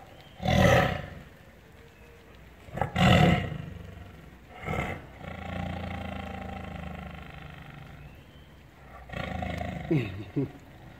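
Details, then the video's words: Tiger letting out two loud, gruff roars in quick succession, then a softer growl and some low rumbling. "best tiger roar ever"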